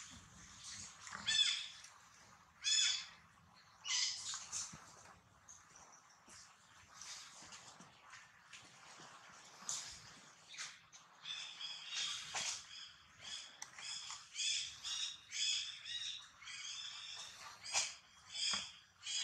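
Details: Newborn female monkey setting: high, strained harmonic cries come in short bursts, sparse at first and then crowding into a rapid, nearly continuous series of squealing notes in the second half, over a quiet background.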